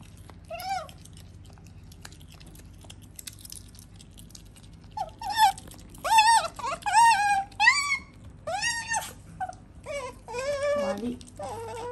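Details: Female pet otter at home, shown as having learned to talk and understand people, gives a run of squeaky, wavering whines. Bursts come in quick succession after a quiet start, ending in a lower, rough moan, with faint indoor hum.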